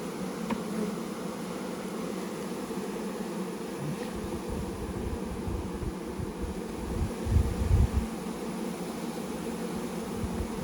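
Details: Swarming honey bees being installed from a package into a hive, queen placed in her cage: a continuous low droning hum throughout, with thumps and handling bumps near the end.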